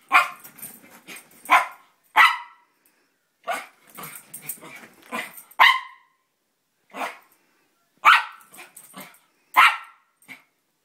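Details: A small Italian Greyhound/Chihuahua mix gives sharp, high yapping barks with soft grumbling growls between them, acting crazy and spinning on a bed.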